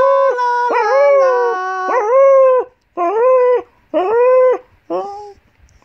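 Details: Eight-year-old Golden English Cocker Spaniel bitch, a house pet, singing in a morning sing-along. Opening wavering howl, then four shorter rising-and-falling wails about once a second, each fading before the next.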